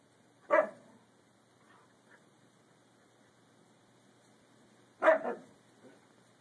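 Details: Six-month-old Siberian Husky pup Emmy barking to get another dog, Peace, to play with her; two short loud barks about four and a half seconds apart, with quiet background between.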